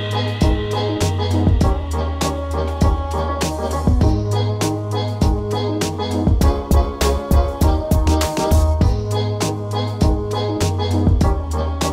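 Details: Continuous keyboard and organ music with a steady low bass line and regular percussive beats, with no animal voices.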